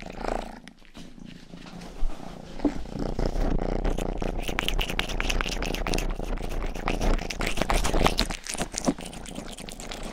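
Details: Domestic cat Rang-i, youngest of the family's cats, purring steadily indoors during close ear-grooming, a low rhythmic rumble with many fast pulses, mixed with moist licking smacks and soft clicks.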